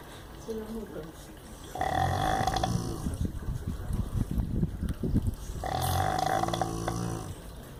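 A sleeping Rottweiler snores in loud, rattling drawn breaths with a nasal, buzzy tone. Softer, low grunting breaths fill the gaps between the strong snores, which come about four seconds apart.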